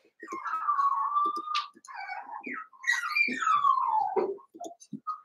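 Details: Cavalier King Charles Spaniel puppies, Daisy's six litter merged with Robin's two, give drawn-out high whines that rise and fall, with short squeaky yips and soft thumps between them.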